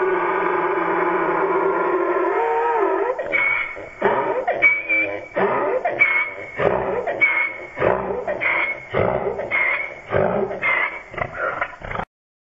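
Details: Pet donkey, loud and upset, calling because he wants out: harsh see-sawing brays repeated roughly once a second for about nine seconds, following a few seconds of steady droning background sound.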